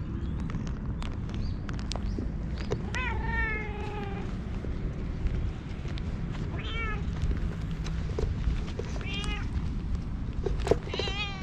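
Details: All-black stray cat sitting on a lap after following along, meowing as if pleading for something; recorded with a GoPro HERO8. Four drawn-out meows, the first longest and falling at its end, spaced a few seconds apart amid clothing rustle and clicks.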